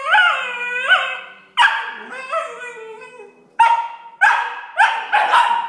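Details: Alfie and Belle, six-month-old Tibetan Terrier pups, in a noisy argument, Alfie whining and Belle trying to stop him. Sharp rising yelps and whining barks follow in quick bursts, with bent, sliding pitch.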